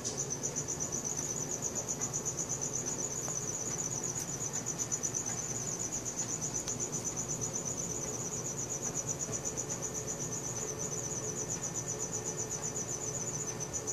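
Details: Crickets chirping at night, recorded on a Samsung Galaxy S4: a steady high-pitched pulsing trill, roughly four pulses a second, continuous throughout over a faint low background hum.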